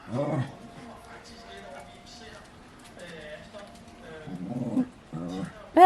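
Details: Budi, a West Highland White Terrier, chats with his owner using drawn-out whining, moaning vocal sounds at the start and again near the end, with soft Danish speech in a child-like tone between them.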